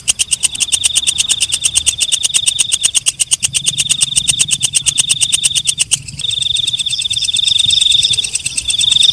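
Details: Walang kecek, a night katydid, calling with rapid dry ticking pulses over a steady high shrill buzz for about six seconds. The ticking then stops, leaving a thinner, wavering high whine.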